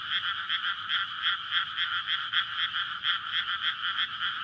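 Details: Frogs in a flooded paddy field before May rice planting, calling at night to court and breed: a steady, rhythmic croaking chorus pulsing several times a second, dense and even.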